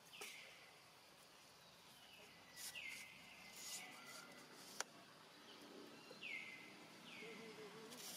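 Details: Hungry young monkey Rainbow, left alone and calling for family, utters a string of short high whistles, each dropping sharply then levelling off, spaced a few seconds apart amid soft outdoor ambience and occasional taps.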